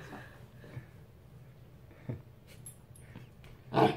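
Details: Husky puppy reacting to a lemon, giving a few short, low, growly grunts spaced over several seconds, then a louder, sharper yelp-like burst at the end; quiet indoor room.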